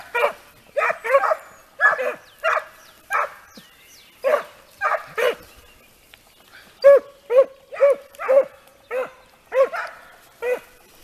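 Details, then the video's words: Pack of Segugio Italiano hounds in full cry on a hare during training, steady run of loud ringing bays, several dogs overlapping, roughly two per second, continuing through the whole stretch. "Segugi italiani, addestramento su lepre"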